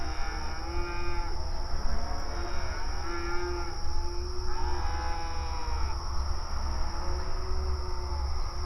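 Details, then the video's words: Several cows moo mournfully at night in long, low, drawn-out calls that overlap and waver in pitch. "Mournful cows mooing in the night Free Sound Effect Download"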